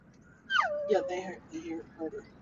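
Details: Husky dog whimpering from the back of a car on a road trip: a high falling whine, then broken yelping whimpers, with low road noise underneath.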